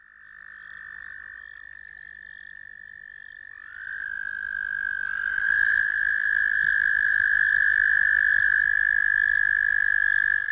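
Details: American toad singing: a long, steady musical trill near one pitch, soft at first, then a second overlapping trill joins around four seconds and the sustained chorus grows louder until the end.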